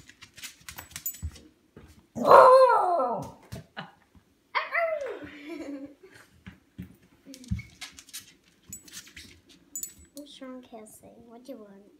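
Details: Scottish Terrier indoors asking for dinner: two loud, drawn-out whining barks with downward-bending pitch, followed by softer grumbles and short yips, while the owner repeatedly asks what it wants.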